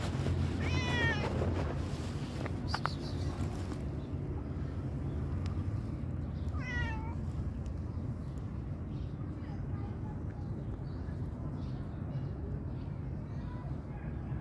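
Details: A pregnant tabby mother cat gives two clear, wavering meows that rise then fall, over a steady low background rumble with a few faint clicks and softer sounds later on.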